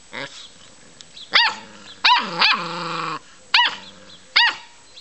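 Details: Puppies playing let out high, abrupt yips spaced roughly a second apart, with one stretched, sinking growl-whine in the middle; quiet gaps fall between the calls.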